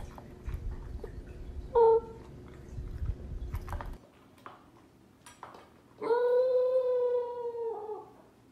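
A corgi gives a brief yelp, then a long, steady, tonal howl.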